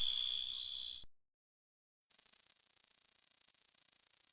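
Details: Small grasshoppers give a high, dry, rapidly pulsing buzz that runs on steadily.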